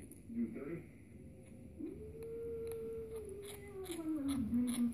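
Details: Kitten making a squeaky grinding noise while eating indoors: a brief squeak, then a long drawn, tonal squeal that rises and slowly falls over about three seconds, ending in a lower wavering note, with faint clicks and quiet room noise.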